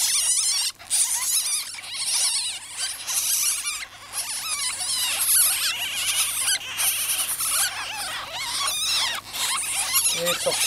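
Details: Young pet ferrets being let out of their cage, squeaking; dense, overlapping high-pitched chirps and squeals, rapid and continuous.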